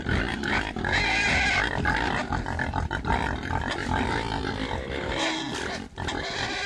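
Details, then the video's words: Several pigs grunting and squealing together, a dense, continuous din of rough low grunts overlapped by higher, drawn-out squeals, with no clear pauses throughout. "Pigs (Grunt and Squeal)"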